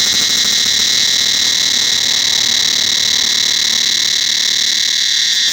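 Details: Steady, piercing cicada drone filling the forest at Angkor Wat temple, several layered high shrill tones holding unchanged for the whole stretch with only a faint flutter beneath.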